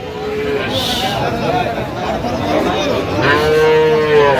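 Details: Sahiwal bull calves on sale at Aftabganj market, 29 November 2025: a short moo at the start, busy crowd murmur in between, then a strong, level, nasal moo near the end lasting about a second.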